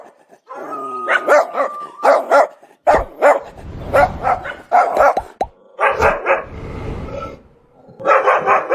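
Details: A domestic dog barks rapidly and repeatedly in uneven bursts, some barks running together, with brief whine-like tones in between and a low rumbling background.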